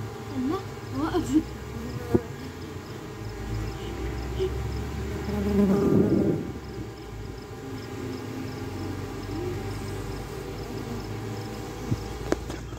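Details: Swarming honey bees, the natural way a colony multiplies as the old queen leaves the hive with thousands of workers and a few drones; a dense, steady low buzzing hum throughout, swelling near the middle, with faint brief voices early on.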